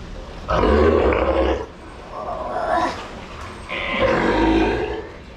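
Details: Sea lion at Ise Sea Paradise aquarium in Japan, kept in captivity, giving three harsh, drawn-out honking calls of about a second each, separated by short pauses, over a steady low background hum.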